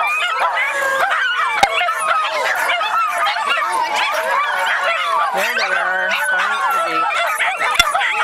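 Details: Group of Miniature Schnauzers howling together at a schnauzer get-together around Seattle, set off by one dog: a dense chorus of sliding, quavering howls, some voices rising and falling, two sharp clicks heard.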